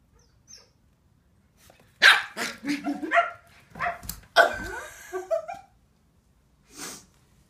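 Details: Finnish Lapphund pups aged seven weeks bark and yip excitedly while playing, a run of shrill barks sliding into whiny, falling squeals, then one last short yap after a brief silence.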